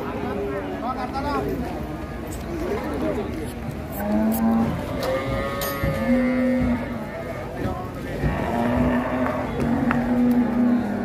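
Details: A rampaging sacrificial cow being taken off a truck at Siyono Harjo market lets out several low, sustained moos, mixed with excited shouting and a busy crowd.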